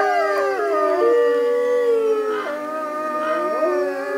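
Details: Captive North American gray wolf pack howling together; long steady howls overlap, one voice holding a level tone before sliding down, others rising and bending around it in a continuous chorus.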